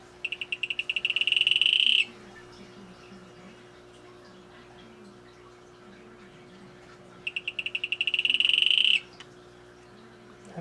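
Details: Two high, rapidly pulsed buzzy trills from a male Atelopus hoogmoedi, each accelerating over about two seconds, separated by roughly five seconds of quiet background with faint low chirps.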